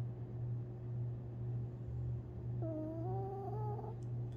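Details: Sleeping long-haired Chihuahua named Tinkerbell, dreaming, recorded April 17, 2021. She gives one drawn-out, gently climbing whine of just over a second against a constant deep hum, with a faint click near the end.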